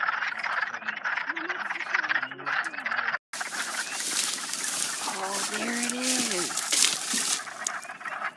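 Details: Hundreds of wood frogs, just starting to lay eggs on April 30, chorus with low, duck-like clucking croaks overlapping in quick, rattling bursts.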